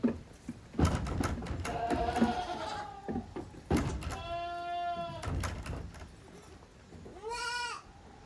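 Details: Goat kids at play in the yard of the handmade Yoshigake goat farm, 30 April 2023. Three bleats: a faint one amid clattering, a clear sustained one, then a short rising cry, with hoof knocks and scuffling between them.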